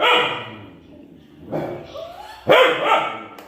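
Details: A frightened Kanni dog gives a few sharp, loud barks in quick bursts at a lion on TV, with some background voices.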